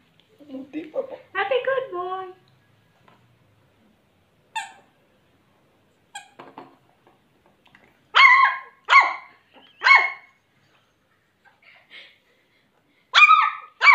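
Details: Happy Shih Tzu puppy giving its first barks indoors: short, high, sharp yaps in small clusters, about five across the second half, after whiny vocal sounds and a person speaking Spanish near the start.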